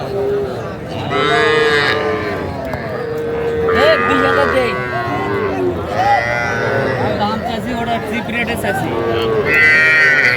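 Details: At a Bangladeshi livestock market on 11 January 2025, heifer calves sold to Comilla farmers call in a series of loud, rich moos, roughly every two to three seconds, over steady chatter as buyers haggle over prices.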